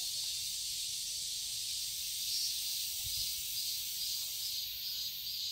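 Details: Cicadas in a summer garden in Seoul, Korea, a continuous, dense, high-pitched hiss of buzzing with steady loudness and no gaps, a few soft low thuds underneath.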